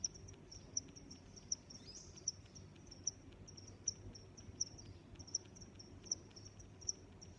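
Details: Steady cricket chirping: clean, piercing high chirps repeating about every three-quarters of a second, ten in a row, over a thin continuous high trill and soft low background noise.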